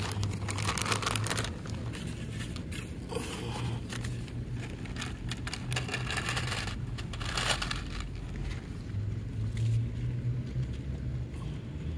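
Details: Steady outdoor traffic rumble with crackling, scraping and crinkling sounds throughout, and no clear animal call.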